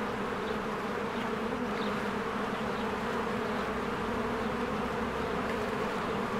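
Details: Steady droning of many honeybees working at their hive in springtime, a full, unbroken buzzing hum with a few soft, high bird peeps faintly audible behind it.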